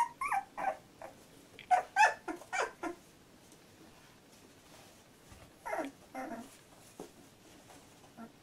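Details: Labrador Retriever puppy litter at 14 days old, indoors; a burst of sharp squeaky yelps and whimpers, a pause, then softer falling whines that fade into quiet grunts.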